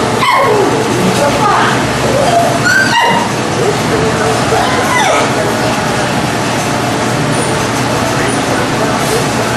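A small dog gives sharp, high yapping barks, with a person talking in the background.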